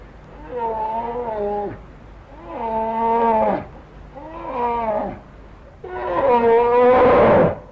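A brown bear gives four drawn-out, moaning calls about a second long each, spaced roughly two seconds apart; the last is louder and rougher.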